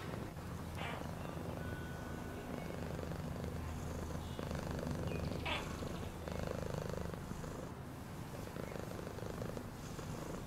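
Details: Cat purring in a long, low vibrating drone that swells and fades with each breath, with occasional sharp clicks and short faint beeps.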